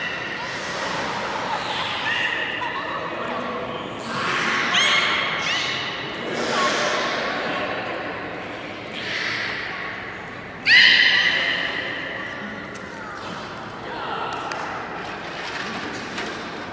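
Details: Beluga in public training at Port of Nagoya Public Aquarium, 24 March 2018, 16:30 session: a series of bright, harmonic squeals and warbling tones, the sharpest burst just before eleven seconds, over a murmuring indoor background.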